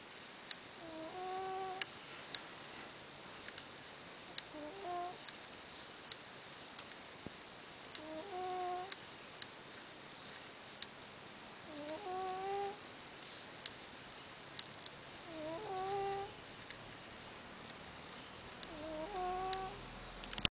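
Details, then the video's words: Anakin, a pet cat, snoring while asleep at rest indoors: soft whistling nasal tones with faint harmonics, each breath rising then falling, repeating roughly every three and a half seconds in a quiet small room with occasional light ticks. "Snoring cat"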